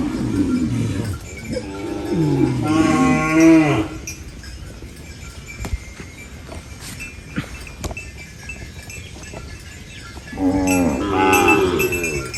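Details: Cow on a farm eating banana leaves, giving loud, drawn-out moos with rich harmonics: one at the start, a longer rising-and-falling moo around the third second, then a final moo near the end, with soft clicks between.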